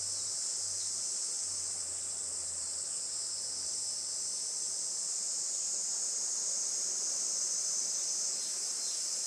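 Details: Cicadas singing together on a traditional Japanese farm in Saitama around 11:30 on a sunny 20 July 2024 morning; a dense, unbroken high shrill drone with faint pulsing, a soft low hum in the first few seconds.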